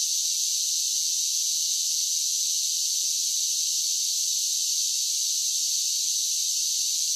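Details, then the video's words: Cicadas singing on a summer day: a dense, unbroken high-pitched hiss-like drone held at steady loudness throughout, with no low sounds and no other animals or people. "10 Hours of Cicada Sounds for Relaxation with Soothing Summer Nature Sounds"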